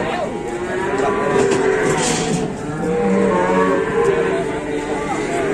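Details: Cattle, including a giant cow that would not move like a statue, being unloaded in Indonesia: long, steady, low moos overlapping one another amid dense background noise, music and voices.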